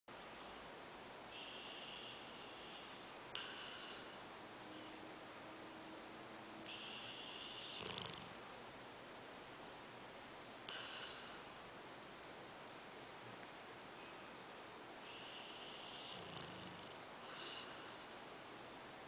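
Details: Diesel the dog snoring while asleep: soft breathy rasps, each bright and hissy, recurring every three to four seconds over a quiet room hum, with one low rumbling snort near the end.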